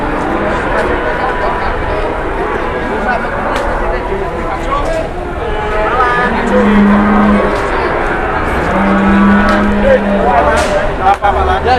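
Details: Big cattle brought to an Indonesian cattle market while traders haggle over the price; two long, low, steady moos of about a second and a half each, one after the other, over constant voices and market noise.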